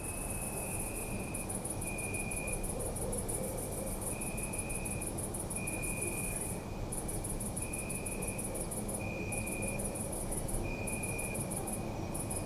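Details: Crickets chirping at night in a city park, a bright rapid pulsed chorus with brief pauses, plus a lower sustained trill repeating every second or so, against a continuous low background rumble.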